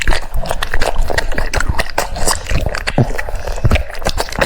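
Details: French Bulldog eating cucumbers, with a steady run of wet, crunchy bites and close mouth clicks, dense and irregular, plus low thumping handling noise throughout.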